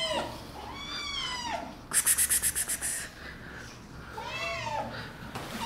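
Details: Indoor kittens said to be attacking meow in drawn-out, arching cries at the start and near the end; between them a quick burst of sharp rhythmic clicks or rattles, with a faint hum underneath.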